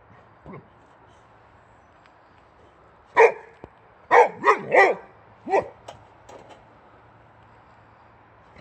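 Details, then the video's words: Agitated male Swedish Boxer, born 2015, going crazy over a wheelbarrow tire: a loud bark, then a rapid run of three harsh barks, followed by several softer yips fading out in a quiet setting. "Crazy Boxer Dog Angry At The Tire On A Wheelbarrow"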